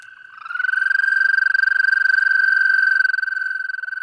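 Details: An American toad gives a long, steady, musical trill on one even pitch, a sound heard on warm May days from a distance in breeding ponds, intermittent streams or vernal pools; toads breed later than wood frogs.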